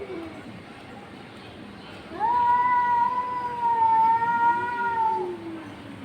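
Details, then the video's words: Cats confronting each other: a long, drawn-out tonal yowl lasting about three seconds, holding a steady pitch with rich harmonics and sagging slightly at the end, preceded by fainter low wails over a steady background hiss. "Cats confronting each other and making noise."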